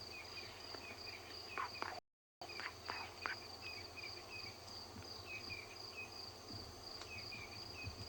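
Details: Crickets calling loudly in the early morning at Ngala Private Game Reserve, South Africa, on 30 April 2020. A steady, high, unbroken trill runs throughout, with scattered short bird chirps and whistles and a brief silent gap.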